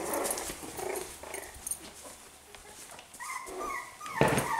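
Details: Five-week-old Australian Terrier puppies making soft whining and whimpering calls, a few short tonal whines rising near the end with a sharp yip, over rustling and household background noise.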